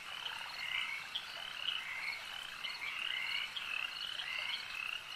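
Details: Frogs calling at a lake: a dense chorus of high, overlapping croaking notes, with short rising and falling pulsed calls standing out every second or so against a steady shimmering background.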